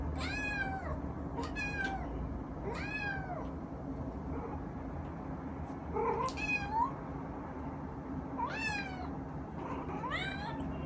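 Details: Male Munchkin kitten home alone, recorded with an iPhone, meowing repeatedly: about seven bright, rising-then-falling mews spaced one to two seconds apart, with a low background hum throughout.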